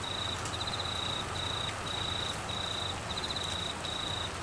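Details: Cricket calling in Queensland, Australia, during the northern monsoon season with flooding rain: high, steady trills in bursts of about half a second to a second, broken by short gaps, over a constant hiss of heavy rain.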